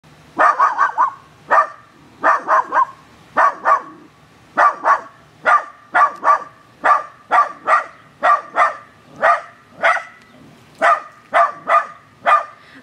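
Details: A female corgi puppy barks sharply and repeatedly, often in quick pairs or triplets, at a neighbour's hanging flowers she finds suspicious.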